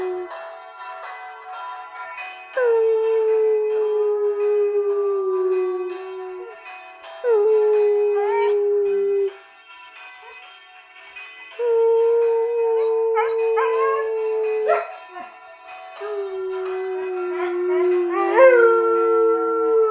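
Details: Afghan Hound named Oyster singing: long sustained howls around mid pitch, each held several seconds with slight downward drift, rising bends at their ends, pauses between, layered with rich overtones.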